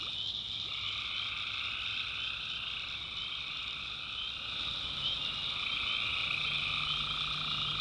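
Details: Nighttime swamp in the North Carolina backwoods, full of tree frogs: a thick, continuous chorus of rapid pulsing calls, about three or four pulses each second, layered over a soft low drone.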